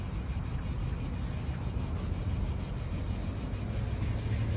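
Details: Steady high shrill droning of cicadas in an Italian park, unbroken from start to finish, set against heavy low-pitched wind noise.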